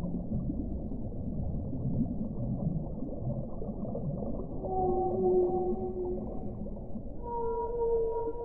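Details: Whale song over murky low rumbling: a sustained mid-pitched tone with a faint upper overtone, a short pause, then a higher, slightly rising cry held to the end.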